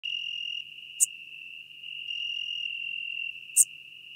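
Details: Schmidt's marbled bush-cricket recorded at Venice, Italy, on 2 September 2021: a continuous high buzzing trill in long stretches, with a sharper brief click-like burst roughly every two and a half seconds.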